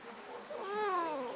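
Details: Pet cat named Snuggles, wet and held in a small container after a bath, gives a drawn-out harmonic meow that rises then slowly falls, indoors in a quiet small room.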